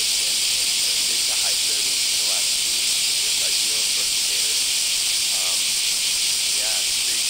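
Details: Japanese cicadas, called semi, calling on a hot July or August summer morning in the Kansai area of Japan, many insects together; a dense, steady, loud hiss fills the air without pause, with faint speech beneath.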